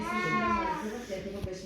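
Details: Peterbald cat from the Charming cattery line, bred for closeness to people, gives one drawn-out tonal meow that rises slightly and then slides down over under a second, with Polish speech calling it close by.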